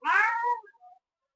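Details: Village cat wanting to eat bread gives one loud meow indoors, about half a second long with a falling end, then a fainter short trailing note, answering a person's questions.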